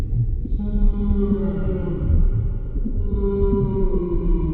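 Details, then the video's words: Humpback whale singing underwater, with sustained harmonic tones that hold steady and waver slightly, stacked over a heavy low-frequency rumble throughout. "Underwater Whale Sounds - Full 60 Minute HUMPBACK Whale Sounds"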